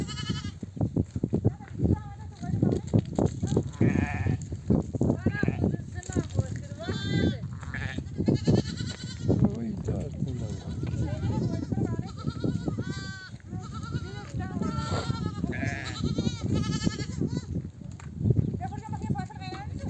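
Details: Returning nomadic sheep flock near desert oak trees, mothers bleating to bring their lambs to nurse; a steady chorus of repeated tremulous bleats from many sheep over loud trampling and murmured speech.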